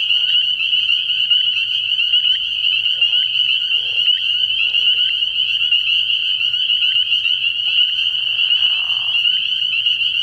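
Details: Night chorus of spring peepers at a frog pond early in the year, an unbroken high-pitched ringing of countless overlapping peeps, with faint lower croaks scattered through and a brief raspy burst near the end.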